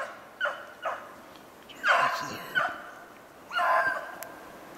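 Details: Beagles on a hunt for snowshoe hare, 25 February 2016, giving a few separate harmonic bays, some short and one drawn out, with quiet gaps between them and faint background hiss.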